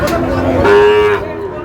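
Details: Young Sahiwal bull calves for sale at a Narsingdi cattle market in Bangladesh; a short, steady, even-pitched moo of about half a second, with voices and market bustle around it.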